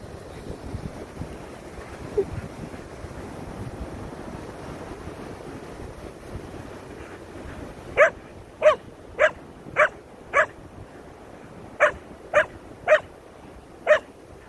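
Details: Koda the Keeshond, reacting to a feather he fears, lets out a run of about nine clipped barks at roughly half-second intervals after eight seconds of low background noise.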